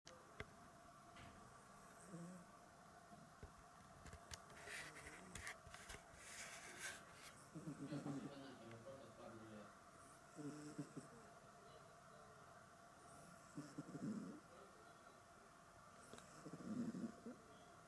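A sleeping Maine Coon cat snores softly, with low rough breaths every few seconds.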